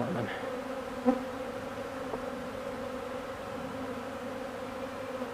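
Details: Honeybees feeding on old comb. Many bees make a steady, low droning hum with a higher overtone throughout, broken by one brief knock shortly after the first second.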